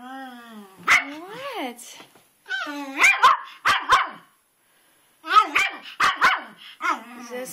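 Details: Twitch, a male pet dog, barking outdoors in the rain at a rock in a flower bed, jumping back and forth as if at a ghost. Loud, pitched, yelping barks in quick bursts of three or four, with a short pause between volleys.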